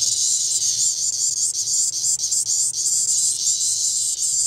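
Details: At 3:39 pm on 22 May 2011, Brood XIX Magicicada tredecula periodical cicadas chorus in a steady, high, hissing buzz that pulses slightly in waves; Magicicada tredecula.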